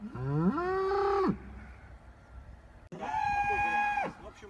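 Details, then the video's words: Cow mooing in a village on a dairy farm in the countryside: two long, harmonic-rich moos, the first rising then held steady, the second level and sustained, separated by a quiet pause. "Real cow moo mooing sound"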